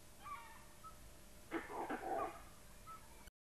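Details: Dholes (Indian wild dogs), pack-living canids in India, give faint shrill whistles, then a louder burst of yelping, whimpering calls; these whistles let them hunt cooperatively in dense vegetation without seeing each other.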